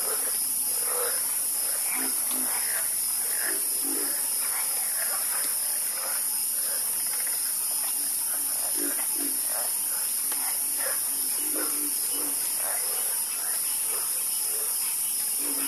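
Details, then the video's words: Frogs croaking together in a chorus: many brief, rough croaks overlapping irregularly beneath a constant high-pitched buzzing background. "Calming Sound Of Harmonious Frog Croaking"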